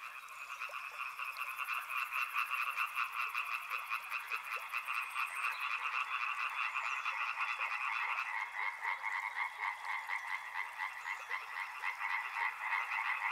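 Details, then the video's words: Frogs chorusing by a river: a dense wall of quick, buzzy croaks from many individuals. The pitch of the upper band shifts slightly midway, and a high faint hiss shows in the opening seconds. "Frog Sounds | Soothing sounds of river and frogs"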